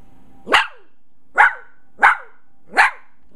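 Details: Miniature long-haired dachshund puppy, female, 15 weeks old, indoors in an apartment after surveying the room: four sharp, high barks, each brief and falling at the end, spaced roughly every half to one second over a low steady hum.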